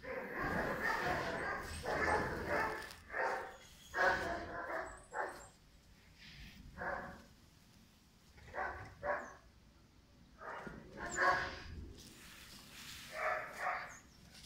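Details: Five-month-old German Shepherd puppy named Pirat barking in a long irregular series of loud, harsh barks, some doubled, with short pauses between bursts and a faint human voice in the background.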